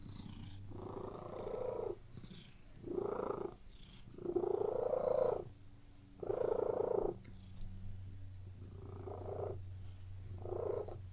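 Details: Cat purring on a bed in a relaxing indoor scene: six or so rasping purr pulses of varying length, regular inhale-exhale rhythm, with a low droning hum in the background.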